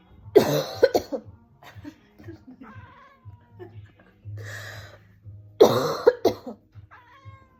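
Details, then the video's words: Domestic cat meowing at night while people sleep, reacting to coughing: short wavering, slightly rising meows between loud bursts of human coughing, with faint speech. "Кот не любит когда кашляют 😂он ночью мяукает , когда мы спим"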